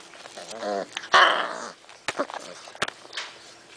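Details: A litter of six-week-old rescue puppies awaiting adoption, recorded January 6, 2011: a harsh, rising play growl swells then breaks off, followed by scattered clicks, thumps and small yips.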